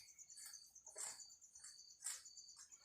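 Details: An insect stuck in a bottle indoors sustains a thin, steady, high-pitched buzzing drone. Several sharp rustles and taps of the bottle being moved break in.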